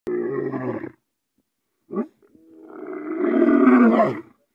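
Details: Lion (Panthera leo) giving repetitive roars in bursts: a hoarse opening roar, a short grunt, then a long swelling roar.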